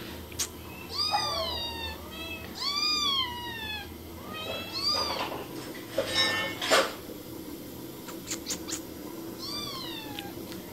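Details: Cats and kittens giving repeated rising-then-falling meows, four clear ones in sequence with a pause of scattered clicks and knocks before a final meow, over faint room hum.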